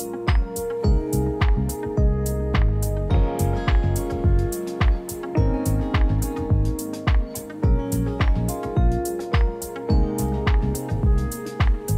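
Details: Loud rhythmic band music with steady drum hits at a brisk regular beat, strummed guitar and sustained tones throughout.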